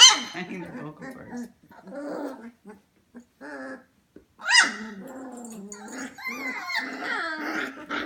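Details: F1 Goldendoodle puppies aged 25 days, indoors at 11pm, making low grumbles and whimpers, then a sharp yelp and rising, wavering whines toward the end.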